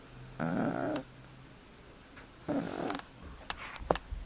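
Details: Sleeping domestic cat snoring indoors: two rasping breaths about two seconds apart, each a half-second rough burst with a low buzzing undertone, followed by faint rustling clicks.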